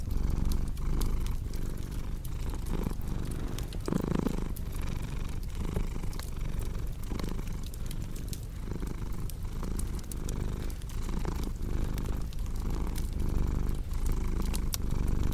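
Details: Long stretch of a cat purring steadily in a low, vibrating drone shaped by rhythmic breaths, with a constant backdrop of crackling, snapping fire.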